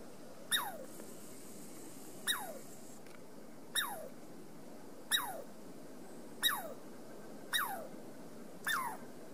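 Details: A Douglas squirrel on the Amanda Trail calls seven times in a slightly uneven series of abrupt, downward-sweeping chirps with no other notable sounds.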